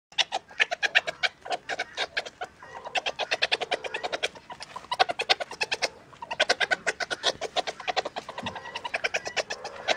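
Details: A meerkat being tickled chatters in fast runs of sharp, clicky chirps. Each burst lasts a second or two before a short pause, with bright, scratchy notes repeated many times a second.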